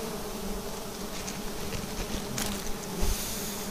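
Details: Wild bee nest on a vertical tree, harvested; a constant low buzzing hum from many bees carries through, with brief handling clatter around the middle and near the end.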